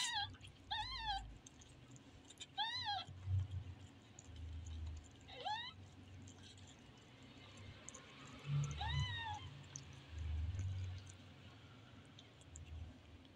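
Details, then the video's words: Kitten giving a run of short, bright mews, several in quick succession early on, then spaced cries later, over low rumbling handling noise and room hum. "Funny Kitten"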